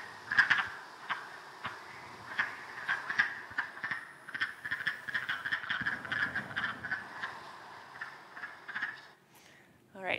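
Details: Spring chorus of wood frogs gathered at a pond to mate after thawing from winter: dense, overlapping duck-like quacking clucks repeating rapidly for about nine seconds, then fading, followed by a brief sharp rising sound at the end.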